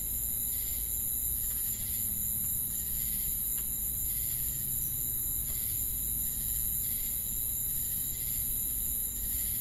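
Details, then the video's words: Crickets calling at night in a forest, their thin high ringing unbroken throughout, with rhythmic chirp pulses recurring roughly each second over a low droning background. "Night Ambient Sound Effect with Cricket Sounds for Sleep & Relaxation"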